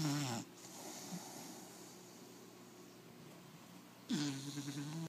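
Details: American Pit Bull Terrier puppy of four months snoring in someone's face, a grating nasal snore opening the recording and another long rough one returning after about four seconds of quiet breathing.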